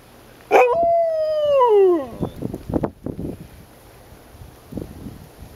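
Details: A Siberian Husky in winter weather, uncommon in Chapel Hill, gives a short, tonal howl that starts with a sharp yelp and slides steadily downward.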